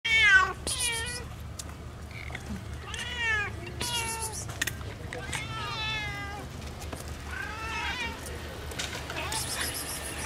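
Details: Stray kitten following a man outdoors, asking for help and food: a series of high, arched meows, some wavering, repeated every second or two over a low steady hum.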